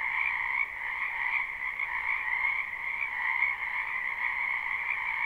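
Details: Croaking frogs massed in a spring wetland behind a house, live recording: a quieter, steady chorus of overlapping trilled calls, unbroken and even, with no other sounds standing out.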